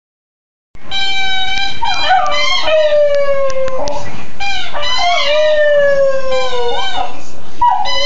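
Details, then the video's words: A female West Highland White Terrier sings to her squeaky chew toy. After a moment of silence come long, tonal howls that slide slowly downward, rising again in brief wavering swoops, with sharper squeaky notes mixed in throughout. "West highland terrier singing to her squeaky chew"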